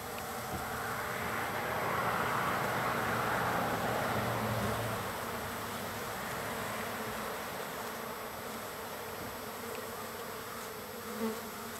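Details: Many wild bees gathered on the third day of feeding, a dense, steady, low droning buzz with a louder, broader swell of rushing noise in the first few seconds that fades back to an even hum.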